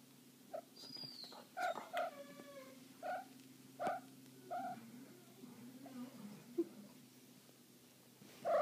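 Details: A female Cornish Rex cat in heat gives a run of short, chirping yowls, some sliding downward.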